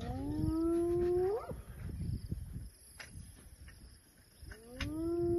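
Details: With elephants nearby, a hyena gives a drawn-out, hollow call that sweeps sharply upward, then starts again.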